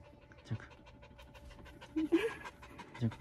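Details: Male mame-shiba (miniature Shiba Inu) born in April 2020 in Saga Prefecture, Japan, panting: faint, rapid breathy huffs at low volume, with a short voiced sound near the middle and a soft thump near the end.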